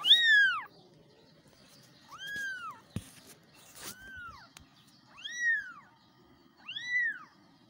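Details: Kittens meowing for their mother: five clear, high arched meows spaced about every one and a half seconds, the first loudest, each bending up then down; a sharp knock midway.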